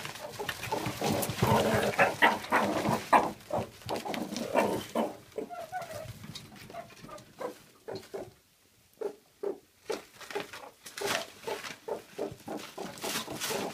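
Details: Captive adult male meerkat from a mob of ten guarding mealworms from the others; dense harsh chattering at first, then spaced short pulsed grunts about two to three per second after a brief pause.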